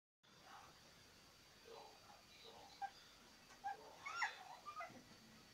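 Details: A six-week-old Boston Terrier puppy gives soft, high, brief whimpers and squeaks.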